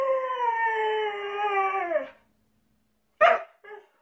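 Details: Siberian Husky giving a steady, clear howl held for about two seconds, sliding slightly downward at the close, followed after a pause by one sharp bark and a softer short yip.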